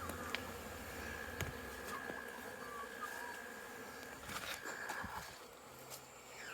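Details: Busy honey bee hive with bees on orientation flights, September 2022. A constant low buzz is broken by sharp clicks and knocks, with a thin, level whine and scattered faint chirps.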